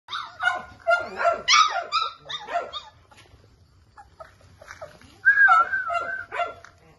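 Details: Several Labrador Retriever puppies give high-pitched, overlapping yelps and whines in busy bursts. After a quieter pause, one long wavering whine follows.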